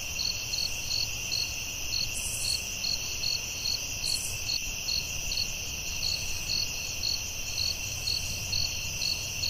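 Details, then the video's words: Steady cricket chirping in a forest at night, about two high pulses a second over an unbroken piercing trill, with two short hissy bursts and a faint low hum. "Soothing Cricket🦗 Sounds at Night"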